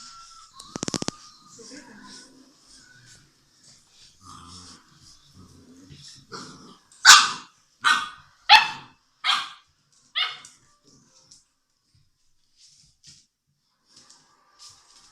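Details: English Mastiff puppies, six weeks old, playing at a Czech kennel; after quiet scuffling and a clatter, five loud, sharp high barks come about once a second, then near silence with faint sounds.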